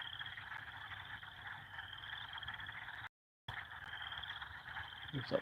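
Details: Evening frog chorus near a beaver pond on a farm: steady overlapping trills with a high pulsed band, briefly cut to silence partway, then resuming, with a short human voice near the end.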